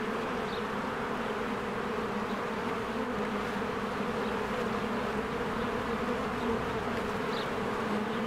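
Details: Springtime beehive with honeybees busily flying in and out; continuous low, droning buzz of many wings, even throughout, with a couple of faint, brief high chirps rising over the hum.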